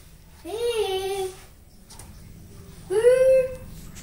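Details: Rottweiler puppy indoors giving two drawn-out whining cries, each rising then gently falling, about two seconds apart, with a quiet room hum underneath.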